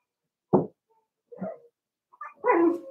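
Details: Cavalier King Charles Spaniel puppies, four weeks old, in their pen indoors, give three short yipping barks about a second apart, the last one longer and whiny.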